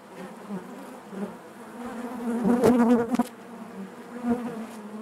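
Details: Honey bees buzzing inside their hive: a dense, steady hum with overlapping wingbeat tones, swelling into a louder close pass near the middle before settling back to the low drone.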